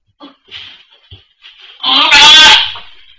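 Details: Goats of Anarchy sanctuary, indoors at the birth of rescued doe Maybel's four kids: short soft bleats and rustling, then a loud, strained, harsh bleat with a noisy burst over it.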